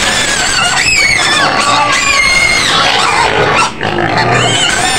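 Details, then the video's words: Penned white pig on Medan's outskirts in Indonesia squealing loudly: harsh, rising and falling screams packed close together, with a brief dip in loudness near the end. "SUARA BABI PUTIH MENJERIT JERIT DI KANDANG"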